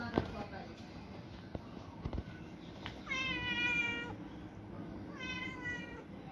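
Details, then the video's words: Pet cat giving two clear meows about two seconds apart, the first longer and steady, the second shorter, with soft clicks and a quiet background hum before them. "Cute pretty cat saying something to me"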